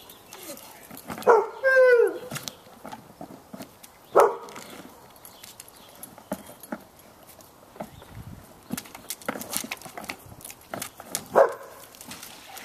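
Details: Two Bloodhounds play with their toy and splash in a swimming pool. A sharp bark runs into a wavering high whine, then single barks come a few seconds apart, with splashing and scattered clicks between.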